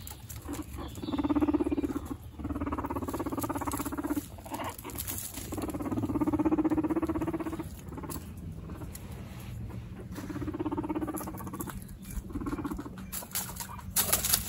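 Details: Two guinea pig brothers in a dominance fight give drawn-out, whining squeals in repeated swells lasting a second or two, rising and falling in loudness, over a soft continuous rumble and rustling.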